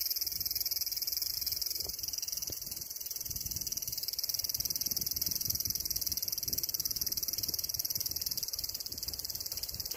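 A cicada sings a steady, high-pitched electric buzz that drones on without a break.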